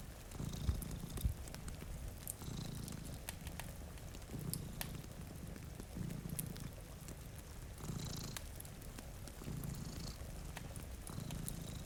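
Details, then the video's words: A steady, low purr from two domestic cats sleeping by a rainy window pulses in regular swells every couple of seconds, with rain falling and a crackling fireplace in the background. "Purring Cat"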